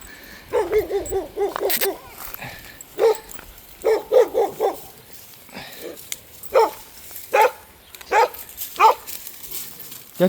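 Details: Dog barking during a walk with other dogs through a forest: a quick burst of sharp barks, then single barks spaced about a second apart, with a man's voice now and then.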